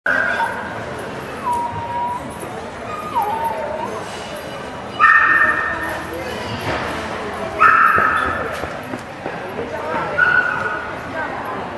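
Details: Harry, a Labrador x Patterdale Terrier cross, stacks nesting cups before an audience at the Paws in the Park dog show in Kent, UK, on 22.9.12. Short, tonal, whiny yelps rise above steady crowd chatter, with the loudest bursts near the middle and end.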